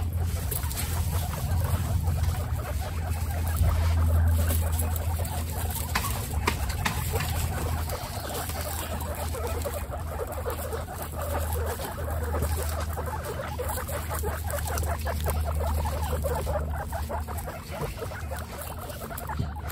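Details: Guinea pigs from a household of 29 wander about while their cage is cleaned, giving a dense run of soft, rapid chuttering pulses over a steady low hum, with faint rustling underneath.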